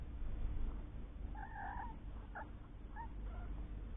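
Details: Three-week-old kittens with their mother Lucy, a cat found living under a caravan and taken in while pregnant; high thin mews, one drawn out then two short ones, over a steady low hum.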